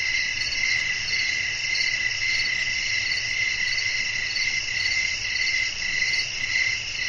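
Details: Crickets chirping at night in a natural setting with wind, a dense high-pitched pulsing chorus, steady trills repeating almost twice per second over a soft low rumble.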